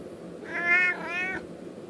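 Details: Domestic cat meowing to ask for treats: one drawn-out, two-part meow, bright and harmonic, rising then easing down over about a second, with a faint hum behind it.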